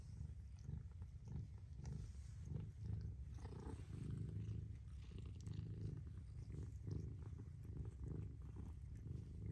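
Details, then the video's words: Mother cat purring in a deep, even rumble that swells and eases in slow waves, with soft rustling over it. "Mother Cat Purrs"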